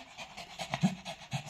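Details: Pomeranian named Tui panting in quick, soft, breathy bursts, several in under two seconds, after rushing into its cage to spin a top and get snacks; a woman counts aloud in Thai nearby.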